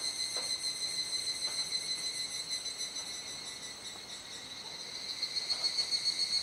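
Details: Cicadas calling together at twilight in Kuji, Iwate, Japan, 17 July 2017, roughly 19:11–19:25, still in the rainy season. An unbroken, shrill, tonal hum with a gently pulsing loudness, rising toward the end.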